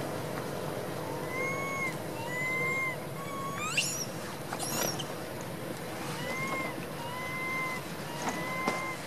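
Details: A small baby monkey up in a tree crying loudly for its mother to pick it up: drawn-out, arching tonal wails with harmonics, given in runs of several, plus a few sharp clicks and a steady background hum.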